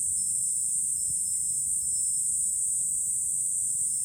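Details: Steady July cicada song from a hilltop with a view over Fukuoka city, Japan: a piercing, even buzz with no breaks, a quiet wind murmur below and tiny faint tinkles.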